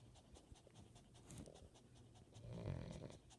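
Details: Brianna, a pet Chihuahua, pants beside a man napping and snoring in bed: quick, soft, breathy pulses run steadily several times a second, with a low indoor hum beneath and a slightly louder stretch near the end.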